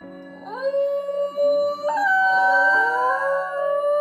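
A Basenji gives drawn-out, rising yodel-like tones over background music.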